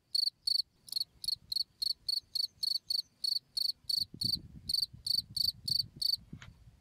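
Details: Cricket chirps used to tutor songbirds: a rapid run of high, buzzy pulsed chirps about three per second. A low rumbling background noise rises midway, and a brief sharp click sounds near the end.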